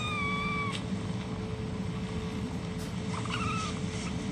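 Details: Kitten meow from stray street kittens at play in Istanbul: a clear, level, tonal cry with a ringing overtone stack lasting under a second, then a softer wavering mew near the end, over steady low hum and traffic rumble.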